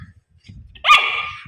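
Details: Puppy giving a single short, sharp bark with bright harmonic tone that tails off over half a second, after near silence with faint low rumbles.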